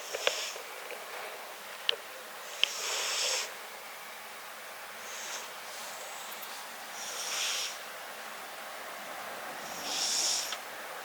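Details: Riki, a tabby-and-white pet cat, snores up close while asleep. Breathy airy rasps swell and fade at irregular intervals of two to four seconds, and a few faint clicks sound near the start.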